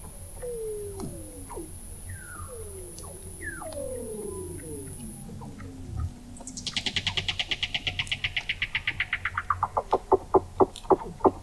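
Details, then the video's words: Weddell seals beneath the sea ice of McMurdo Sound, Antarctica, recorded November 2017 from an observatory 21 m under the ice: several descending chirps, then a long rapid pulsed trill that slows and drops in pitch, ending in spaced knocks. "Song of the Antarctic Weddell Seal"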